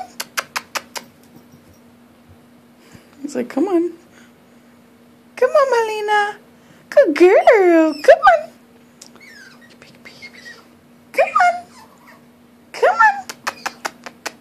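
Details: Molina the puppy cries at the stairs indoors, wanting help to climb up. Repeated wavering whines and wails come in bursts across the stretch, with sharp clicks at the start and end, amid a person's steady encouragement.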